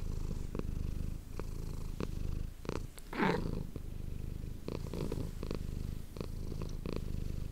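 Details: Manis the cat purring into an ASMR microphone: a low, steady rumbling purr in breathing pulses, interrupted midway by a brief rising squeaky sound, then settling back into the rhythmic purr with light clicks.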